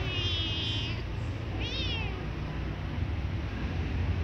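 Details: A white kitten that often meows, kept with a calmer black kitten. Two high, arching meows sound within the first two seconds; the second is shorter, rising then falling. A steady loud background hum runs throughout.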